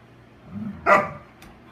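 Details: An Airedale Terrier and a Standard Poodle at play: a low rumbling growl gives way to one sharp, loud bark, then a faint short yip, over a steady low hum.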